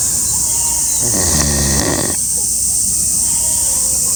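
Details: A sleeping pig snoring loudly: one long, harsh, rasping breath lasting about a second, layered over a steady bright hiss and a faint background of soft tonal sounds.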